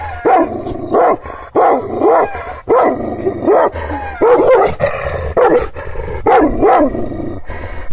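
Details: Fierce Kangal shepherd dog from Aksaray, Malaklı type, giving hostile barks. Heavy, resonant barks sound in steady pairs and triplets at close range, each group separated by a brief pause, over a low rumbling background.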